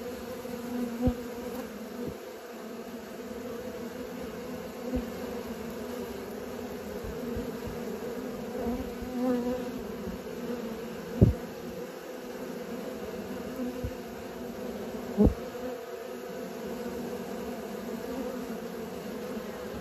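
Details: Honey bees learning to fly, a steady low droning hum of many wings held throughout, with scattered brief louder bee passes and soft clicks now and then.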